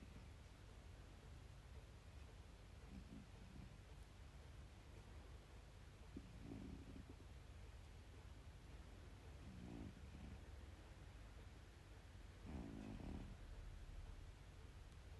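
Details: Pet cat Ra-chan snoring: soft, low rasping breaths with faint layered tones, each lasting under a second and recurring roughly every three seconds over a steady hiss of room noise.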